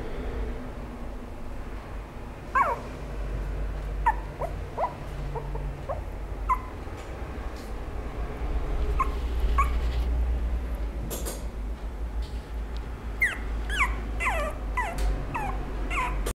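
A small Chihuahua-Maltese mix dog gives high, thin whimpers and yips, sliding downward, in short uneven bursts.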